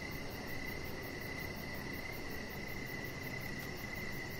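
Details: Crickets in the evening outside on a deck, producing an almost unbroken, steady mid-pitched trill with only slight pulsing, above a low continuous hum and a faint high ticking.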